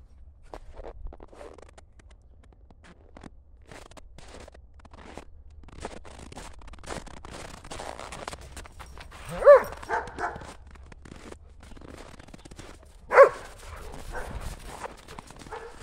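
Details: German Shepherds Buffy and Willow play chase with a ball in the snow on a cold January day; two or three sharp, harmonic barks sound in the second half over soft crunching footsteps and rustling.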